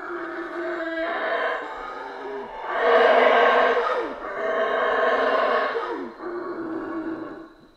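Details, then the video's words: Central American rainforest howler monkeys roaring in overlapping waves, a low grunting start, then a loud rasping peak building and fading in surges over about eight seconds before dying away. "Rainforest Howler Monkeys Sounds"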